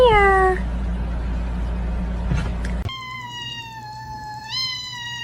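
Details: Crying kitten gives a short, falling meow, then after a pause a long, steady, even-pitched meow lasting over two seconds that lifts briefly near its end, with a constant low hum beneath.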